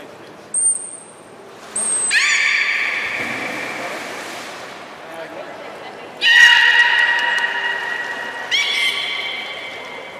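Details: Belugas of the young group playing during a pool transfer at Port of Nagoya Public Aquarium: brief high squeaks, then long steady harmonic whistles in two bursts with a rising one near the end, echoing indoors.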